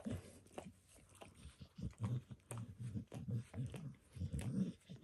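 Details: Indoors, a dog grooming itself makes close, low licking sounds: quick wet laps and smacks in clustered runs of several strokes, with short pauses between. The recording was spontaneous and has no speech.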